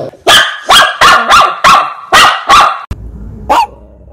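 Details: Shih Tzu dog barking in a quick series of sharp, bright barks, about seven in under three seconds, then a short pause and one more bark.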